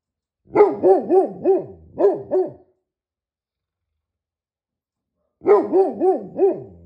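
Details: Great Pyrenees, a giant dog breed, giving two quick runs of four to five deep, resonant barks, the runs separated by about three seconds of quiet.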